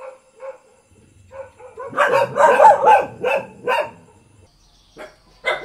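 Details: Village dog barking in a rapid burst of harsh overlapping barks after a few softer opening yaps, trailing off into single barks and one last sharp bark.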